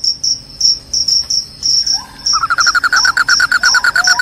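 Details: Crickets, their shrill call said to chase rats away and bring on sleepiness, give evenly spaced high pulsed chirps; after two seconds a lower rapid stuttering series and a few falling notes join in.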